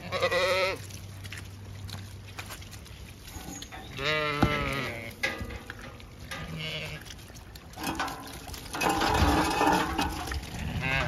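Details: Zwartbles ewes on a regenerative farm in County Kilkenny, Ireland, moved across the farm to a shed to dry off before dagging. Quavering, wavering bleats come in bursts, mixed with a woman calling the flock and background music.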